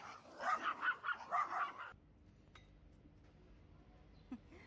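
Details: Pomeranian barking while wanting to play: a quick burst of about six sharp, yappy barks in under two seconds, then near silence with faint background hiss and a soft distant click.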